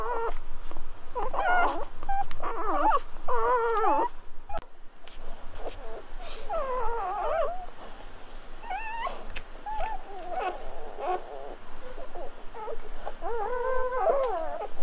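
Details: Newborn Golden Retriever puppies just after birth, squeaking and whimpering in short wavering bursts, several overlapping cries with brief pauses between them and soft handling noise in the background.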